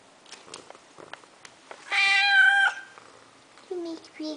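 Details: Deaf domestic cat demanding attention indoors: one loud, harmonic, drawn-out meow lasting under a second, flat then slightly falling, followed by short quieter vocal sounds; faint clicks and a woman's soft voice around it.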